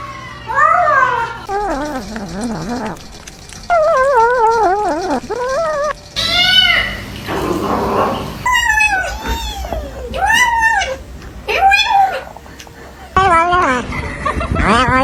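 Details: Pet cat making strange noises while eating: bursts of wavering, arched yowling calls that rise and fall, separated by short pauses, with faint background music.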